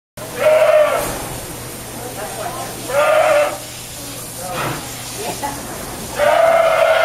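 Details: An angry goat being washed, not wanting it, bleats loudly three times, each a harsh, wavering cry lasting about a second, spaced a few seconds apart, with splashing and handling noise between calls.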